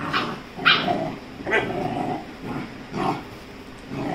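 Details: Rajapalayam pup aged 35 days scuffling with a Labrador called Dora; a few spaced, rough barks with low growly undertones, roughly one every second amid background rustling.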